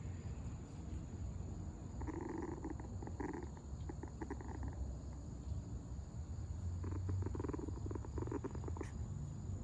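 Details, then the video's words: Puppy growling in two stretches of low, rough, pulsing rumbles, the first short and the second longer near the end, over a steady background hum with a faint high whine. "puppy growls"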